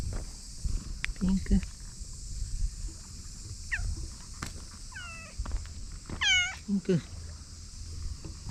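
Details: Pink-chan, a stray cat appearing from beneath a boat in a park in Japan, utters several short, arching meows, the last ones louder and longer, with a person's voice calling softly in between.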